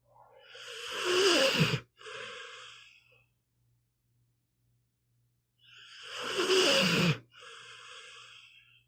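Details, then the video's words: Meatball the pit bull, fast asleep, gives two full snore cycles: a rough, swelling inhale ending abruptly, a quieter breathy exhale, then near-silence for a couple of seconds. A constant low electrical-sounding hum sits beneath. "One hour of a snoring dog"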